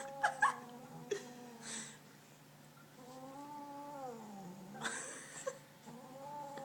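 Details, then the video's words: Very fat, food-obsessed pet cat being picked up; long low wavering moaning growls with rising and falling pitch, interrupted by a woman's voice and handling noises. "ANGRIEST CAT EVER"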